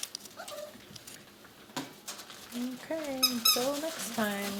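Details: Whines from six-week-old puppies: soft wavering tones early on, then louder drawn-out whines that bend up and down with rich overtones near the end, mixed with a person talking quietly in a small room.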